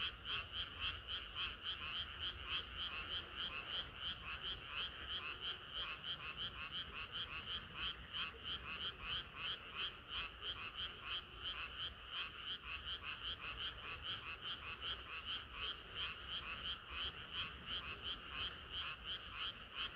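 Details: Summer-night frog chorus, loud and close, a rapid throbbing of croaks about three per second, pulsing evenly in high and mid bands without a break for the whole stretch.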